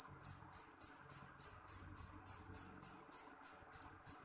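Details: A jeliteng cricket sings shrilly, giving a dozen crisp, high-pitched chirps at a steady pace of a little over three per second; a soft low rumble lies beneath.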